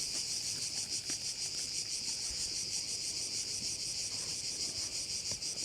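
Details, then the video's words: Crickets calling at one of the bays in Korčula: a dense, high shimmering buzz that pulses steadily about three times a second without pause, with only faint scattered clicks beneath. "Korčula - view of one of the bays in Korcula with sounds of crickets"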